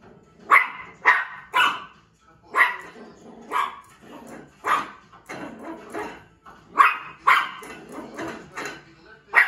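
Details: A 1-year-old female Yorkshire Terrier gives sharp, high-pitched yapping barks in irregular bursts while playing with a bowl; Yorkshire Terrier.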